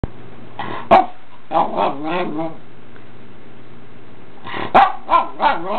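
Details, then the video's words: Pomeranian dog 'talking': short bursts of throaty, wavering, harmonic yowls and grumbles in groups of three or four, with a pause of about two seconds between bursts and a quiet steady hum underneath. "Talking Pomeranian"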